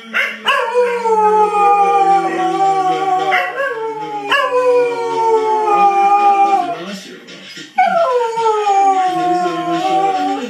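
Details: A Cocker Spaniel gives three long drawn-out howls, each opening high and gliding gradually lower over about three seconds, with short breaths between them and a faint voice in the background.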